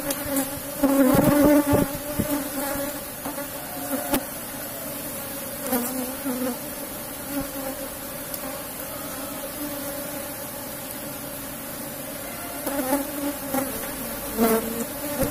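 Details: Asian honey bees (Apis cerana) from a strong colony in a box hive, buzzing during a honey harvest: a steady low hum with a brighter overtone, swelling in brief louder bursts, with occasional knocks and handling noises.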